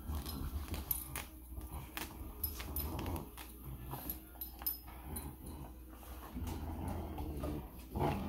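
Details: Giant Schnauzer puppies and their mother playing tug with a toy, low rough growls mixed with scuffling thumps and toy rattles, a person briefly speaking.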